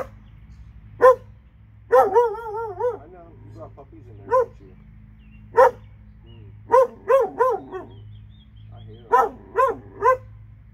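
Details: A pair of dogs in Alabama bark repeatedly, single loud barks and clustered runs of two to four, over a constant low background hum.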